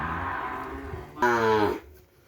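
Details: Madura cattle, breeding stock for kerapan sapi bull racing brought from Sapudi Island: one short, rich, harmonic moo lasting about half a second, steady and then dropping slightly at the end, over a low rumbling background with faint music.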